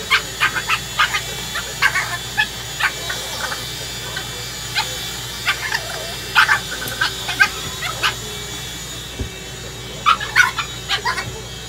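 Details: Six-month-old Boston Terrier attacking a vacuum cleaner indoors, repeated short sharp barks and yips in irregular bursts over a steady motor hum.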